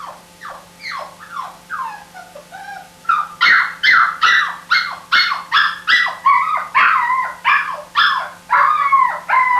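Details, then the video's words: Puppy crying: a series of high, whining whimpers, each a short falling squeal, repeated about twice a second and growing louder midway, with a steady low hum underneath. "Puppy Crying Sound ~ Dog Crying Sound Effect"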